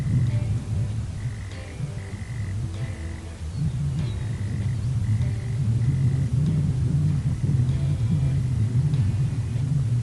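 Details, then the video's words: A single male prairie mole cricket in Oklahoma gives its mating call, which males make from March, starting at sunset and lasting around 30 to 40 minutes; short steady chirps repeat about twice a second under heavy low wind rumble. "this is the sound of a single male Prairie mole cricket call"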